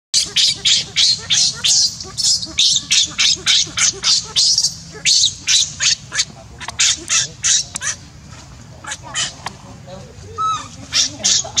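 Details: Baby monkey Leo, hungry and begging its mother for milk, crying in a fast run of harsh, shrill squeals repeated about three times a second, easing into softer scattered cries near the end.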